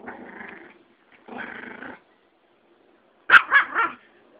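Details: A Yorkie and a Pomeranian, friends' dogs, fighting: two stretches of low rough growling, each under a second, followed by a burst of three sharp barks.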